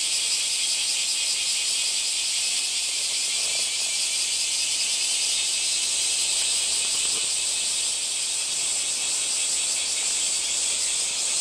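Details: Cicada chorus-like drone, a bright continuous shrill buzz with slight rhythmic pulsing, unbroken over about eleven seconds.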